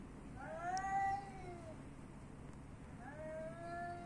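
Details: Street cats in Athens, Greece: two drawn-out meows, the first rising then sliding down over about a second, the second starting after a short pause and fading out. A low steady hum sits underneath.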